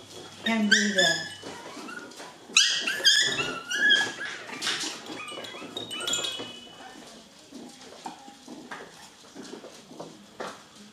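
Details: A litter of seven-week-old poodle puppies from Rainy, romping indoors, let out sharp squeaky yelps and thin rising whimpers in quick clusters, with softer yips trailing off and human voices in the room.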